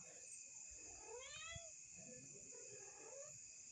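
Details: A cat, with rain falling, gives a rising then falling harmonic meow over steady insect-like high hiss, while a person talks to it in Kannada telling it to go home.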